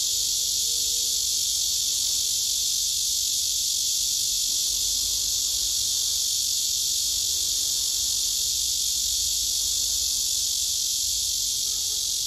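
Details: Cicada in summer, singing with full voice to win a mate: an unbroken, shrill, rasping buzz at constant loudness throughout, with a faint low rumble underneath.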